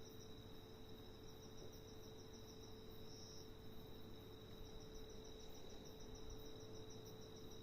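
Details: Giant locust producing a soft high-pitched pulsing trill that swells briefly near the middle, set against a constant thin tone and low background hum.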